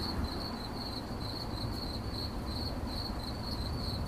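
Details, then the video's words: Shrill, rhythmic cricket chirps, around two per second, with a dense low-pitched background rumble. "CRICKET CHIRPING"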